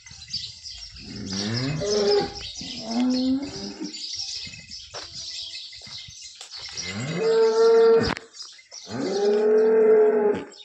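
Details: Holstein Friesian cow that calved last night, in her second lactation, in Somthane village, Sinnar taluka, Nashik district, Maharashtra, India: several long, deep, harmonic moos in succession, some rising then falling, with a steady high hiss and chirps behind.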